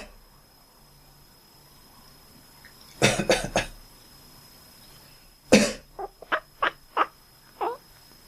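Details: A pet cat that quacks back whenever its owner coughs while it rests or sleeps. A burst of coughing is followed by six short, falling, squeaky quacks spaced roughly every half second, indoors and otherwise quiet.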